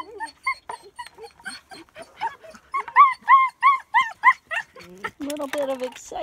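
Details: German Shepherd puppies about 9 weeks old, born 12/15/16, playing outside in Florida on Valentine's Day, February 14, 2017. A run of high, arched yelps comes about three times a second and grows louder, then gives way to lower, drawn-out whines.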